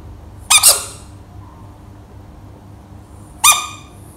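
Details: An American bullfrog gives two short, shrill, squeaky screams a few seconds apart.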